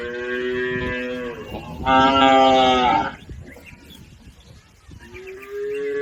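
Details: Herded cattle crossing a river on their way to the farm pen: two long, harmonic moos, a steady lower one first, then a louder, brighter bellow in the middle, followed by quieter rustling and the start of another low moo.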